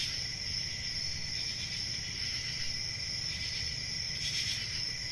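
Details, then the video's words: A high, even cricket trill runs throughout, swelling briefly near the end, with a soft low-frequency rumble beneath. "1 Hour of Cricket Sounds"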